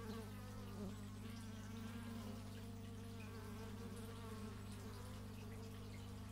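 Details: Steady low buzz of bees, captured outdoors in stereo with an x/y microphone, with the hum wavering slightly in pitch and a brief louder pass of buzzing near the start.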